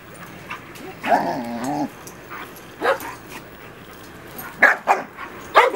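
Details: Female Doberman Pinscher puppy, a little grown and starting to tussle over toys, gives one drawn-out whine with stacked harmonics, then short sharp yips and barks spaced over the following seconds, with a quiet room background.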